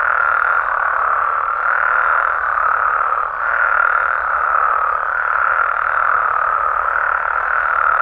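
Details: Mexican frog and toad chorus recorded at night in natural amphibian habitat: dense, even layers of overlapping croaking calls, steady throughout, with a brief dip in loudness near the middle.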